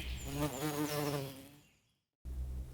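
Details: Buzzing of a honey bee kept on the farm, a steady low drone that wobbles in pitch, dies out gradually after a second and a half, then a brief gap and quiet low background noise.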